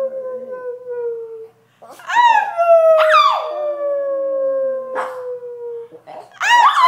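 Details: Brussels Griffon dog singing on request, a long steady howl held for several seconds, sliding slightly downward, broken by higher yelping rises, with a person's brief encouraging voice.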